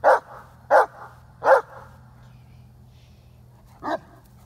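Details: Female Great Dane chasing a squirrel, jumping to bite tree branches in frustration: three sharp, loud barks in quick succession about every three-quarters of a second, a pause, then one more bark, over a faint low hum.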